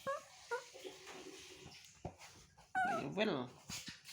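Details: Baby monkey Toro calling to get his mother to comfort and hug him: short, thin, whimpering squeaks in a soft series, then a louder, wavering, drawn-out cry near the end, with human talk faint in the background.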